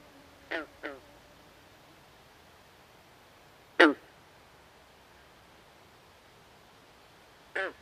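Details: Swamp frogs at night: a quick double croak, a louder single harsh note a few seconds later, then another croak near the end, with a quiet hissing backdrop between calls.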